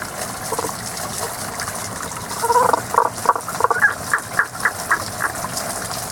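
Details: Unseen frog singing in a season-only chorus outdoors: a run of short, evenly spaced mid-to-high pulsed notes over about three seconds, rising slightly toward the end, set against a steady rush of flowing water.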